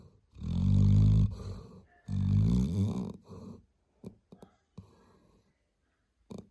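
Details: Labrador Retriever snoring: two long, deep, rasping snores with a low rumbling buzz, each lasting about a second, followed by a few soft clicks and quiet shuffling.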